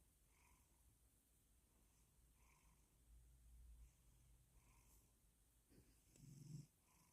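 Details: Male cat purring and snoring himself to sleep; a quiet, continuous low rumble with faint soft pulses about every two seconds and a brief louder snort near the end.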